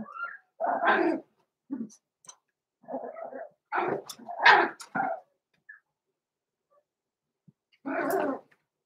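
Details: Blenheim Cavalier King Charles Spaniel puppies, six weeks old, Roman and Blue, in an indoor puppy pen, born November 14, 2022. A loud, irregular run of puppy barks and yaps, several close together, then a final bark after a short pause.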